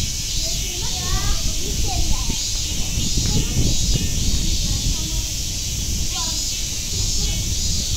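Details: Steady cicada buzz at Nogeyama Zoo, unchanging and high-pitched, heard beneath children talking and general visitor noise.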